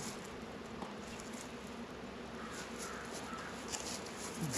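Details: Many honey bees busy around a beehive in a northern Kentucky apiary on a 72-degree day in February, giving a continuous, even droning hum throughout.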